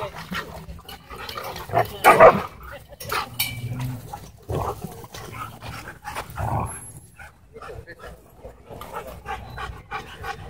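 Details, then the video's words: Siberian Huskies, a pair, in an intense play fight at a dog park, giving harsh snarls and deep rumbling growls in scattered bursts, one loud snarl standing out early, with some human voices in the background. "Two Huskies In Intense Dog Park Battle"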